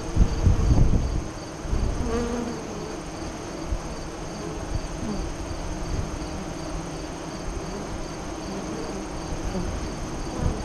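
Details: Hive-entrance buzzing of honey bees east of Lyons, Nebraska, during the 2017 eclipse; an individual bee flies by with a clear buzzy tone early on, over a constant low colony hum and some rumbling at the start.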